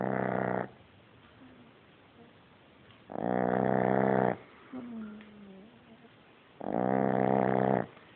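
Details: French Bulldog puppy asleep and already snoring very loudly: three harsh, rasping snores about every three seconds, each lasting around a second, with quiet breathing between.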